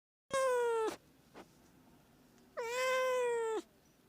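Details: Domestic cat meowing, played to attract cats: two drawn-out harmonic meows, the first short and slightly falling, the second longer and level, separated by a quiet gap with a faint click.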